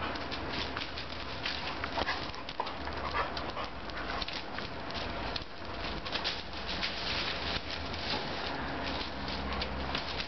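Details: Two German pointers roughhousing over a ball, giving short whimpering whines and yips amid steady scuffling and broadband rustle, with bursts of movement noise spread across the recording.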